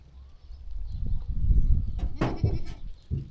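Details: Sheep walking and grazing in a calm farm setting; a short, harsh bleat rises out of steady low rumbling and shuffling, with a fainter call near the end.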